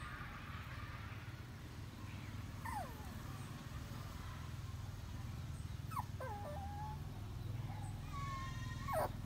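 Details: Puppies sleeping side by side in rows give a few thin, high whimpers: a falling squeal near three seconds, a quavering bent whine around six, and a longer wavering cry at the end, over a steady low rumbling background hum.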